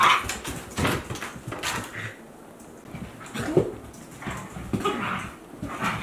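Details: Akita Inu pair, a 14-month-old and a 2-month-old puppy, playing indoors; scattered short growls and rough yelps with scuffling, a brief whine near three and a half seconds, no music.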